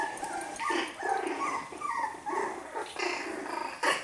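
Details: Five-week-old Australian Terrier puppies at play make continuous small growls mixed with high yaps and squeaky yips, several overlapping, with a person greeting them nearby.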